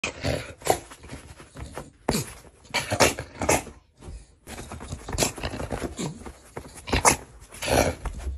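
A Staffordshire bull terrier grumbles and growls in short, rough bursts, with a person saying no.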